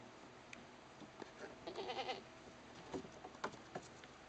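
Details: Young goat playing and jumping on a picnic table with its cousins gives one short, wavering, quavering bleat near the middle, followed by several sharp knocks and taps over a quiet background hiss.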